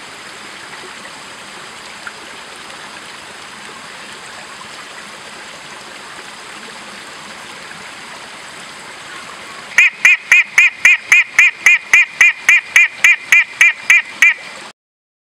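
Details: A long-nosed horned frog (Megophrys sp.) on Meratus Mountain, South Kalimantan, gives a rapid series of sharp, metallic notes over a rushing stream.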